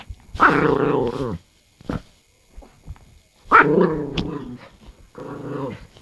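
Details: Dog, one of two pets named Noraengi and Bori, making strange noises indoors: long harmonic growling moans with a rising-falling, yodel-like contour, two main bursts around a second long, then a shorter one, with brief quiet gaps between.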